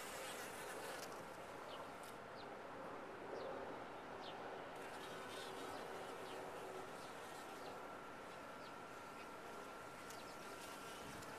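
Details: Top-bar hive of honey bees humming steadily, a continuous broad drone with a faint higher tone, scattered light ticks and rustles throughout.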